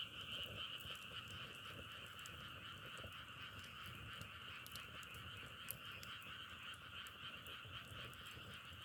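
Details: Frogs heard outdoors on a trip, their sound likened to crackling firewood; a dense, unbroken chorus of many callers forms a steady high buzzing drone, scattered with sharp clicks.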